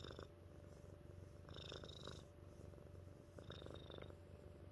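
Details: Close, low purring from Mittens the house cat: a throbbing rumble with a couple of breath swells, light hissy overtones on each pulse.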